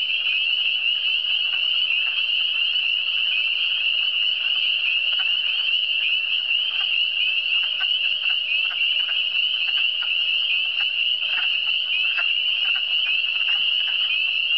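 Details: Continuous high trilling from a frog chorus in the Eastern Townships, steady and dense, with faint scattered clicking calls in a lower register.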